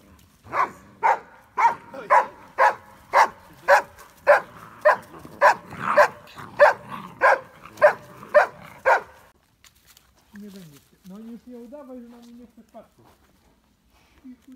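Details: Briard dog barking in a steady series, about eighteen loud barks roughly every half second over nine seconds, then the barking stops and a human voice speaks quietly.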